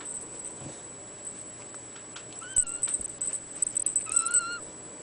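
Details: Bluepoint bicolor Ragdoll kitten, a male from a cattery, dated 04/14/2013, gives two thin, high meows: a short wavering one midway, then a slightly rising, sustained one near the end, over a steady high electronic whine and faint clicks.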